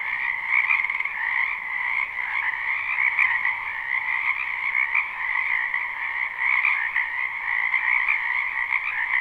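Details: Spring wetland frogs form a thick, continuous croaking chorus in a live, unlooped recording. Countless overlapping calls merge into a shimmering mid-pitched buzz that swells and dips slightly in loudness.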